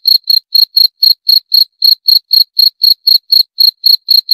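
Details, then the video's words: Cricket chirping: short, high, clear chirps repeat steadily at about four per second, each a bright pulse with a fainter higher overtone, against complete silence with no other sounds. "26 Menit Suara Jangkrik - 26 Minutes Cricket Sound Effect"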